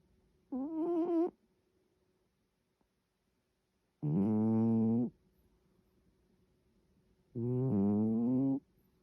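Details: A sleeping cat snoring softly in a quiet room: three short, low, buzzing rattly breaths, each about a second long and spaced roughly three seconds apart.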